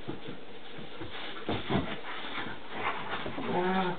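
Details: Boerboel, Bouvier and Dutch Shepherd dogs wrestling together in play; short gruff growls and huffs over scuffling, ending in a brief tonal whine.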